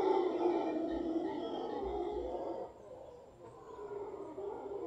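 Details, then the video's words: Large troop of howler monkeys in a tree in Guanacaste roaring loudly, a dense rough chorus for nearly three seconds, then fading to a quieter background rumble. "Howler Monkeys in Guanacaste"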